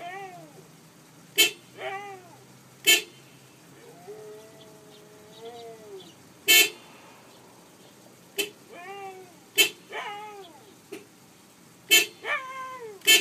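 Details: Pet Siberian Husky singing along with a car horn, quieter: short arched howls and one longer sustained wavering howl, interrupted by brief horn toots every second or two.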